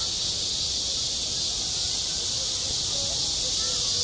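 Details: Midsummer cicada chorus at a school sports ground, a constant shrill hissing drone filling the upper range without pause, with faint scattered tonal traces lower down.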